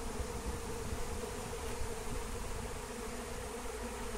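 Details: Wild honey bee swarm being captured with lemon balm (Melissa): a dense, steady low hum with a sustained droning tone, the massed wingbeats holding an even level throughout.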